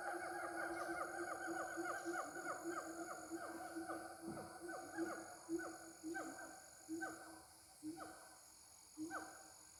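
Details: Gibbons (locally called ungka) give mating calls: loud, swooping whoops repeated about once a second over a steady high insect drone.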